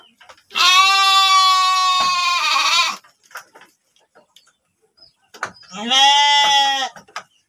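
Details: Penned breeding sheep in Tanjungjaya village, Cipunagara district, Subang: a loud, drawn-out bleat lasting over two seconds, then a shorter wavering bleat after a brief pause, with faint clatter between.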